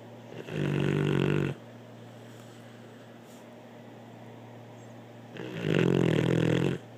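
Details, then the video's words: Blue, a pet dog, snoring indoors: two loud, harsh, rumbling snores about a second long each, separated by several seconds of quiet breathing and a steady low hum in the room. "Blue snoring"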